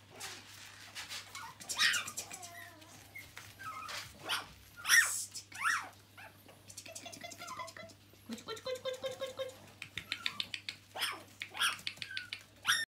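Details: Red smooth-coated Brussels Griffon puppies at the REDTIME kennel, indoors, giving a busy run of high, thin whines and sharp yelps, some rising and falling, in quick irregular bursts with brief pauses between them.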